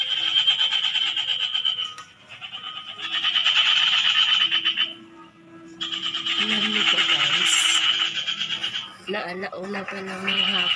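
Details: Frog calling in long, rapid pulsed trains, a rasping trill lasting two to three seconds per burst with short silent breaks, plus a faint lower tonal hum and brief voice-like sounds near the end.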